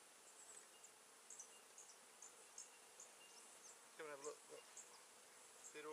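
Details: Honey bees at a novice keeper's first hive during its second inspection on 16 November 2013, with smoke puffed onto them; a faint steady hum, then a louder droning buzz of a bee passing close late on, amid light clicks and ticks.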